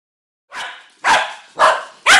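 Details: Dog barking four times at roughly half-second intervals, each bark broad and harsh with energy spread from low to high pitch, the last ones louder and sharper, quiet between calls.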